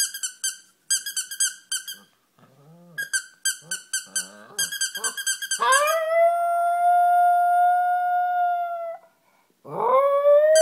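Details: A pet dog howls at a squeaky toy: rapid bursts of sharp toy squeaks, low grumbling, then a long steady howl held about three seconds, breaking off and starting again.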